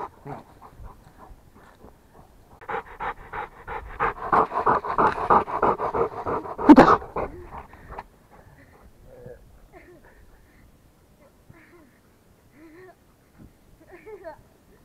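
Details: Rottweiler panting hard, with fast rhythmic breaths that build for about five seconds and then fade into soft, sparse breaths and occasional faint whimpery sounds.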